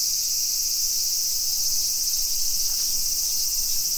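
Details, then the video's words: Cicadas singing on a summer afternoon, 2 PM, 28 July 2021, along streets in Nisshin, suburban Nagoya, Japan. A dense, continuous high-pitched hiss holds constant, with a faint brief tick partway through. "Summer Cicadas Sounds"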